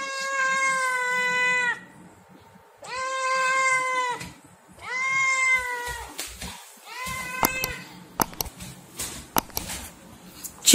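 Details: Kitten meowing for food: three long, harmonic-rich meows about a second and a half each, level then slightly falling, followed by a shorter, rougher meow and sharp clicks and knocks near the end.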